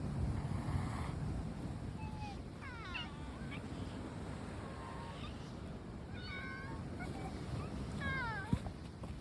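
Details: Several cats, three of them black, meowing outdoors; short rising-and-falling mews scattered through the clip, some in quick pairs, over steady low rumbling background noise like surf or wind.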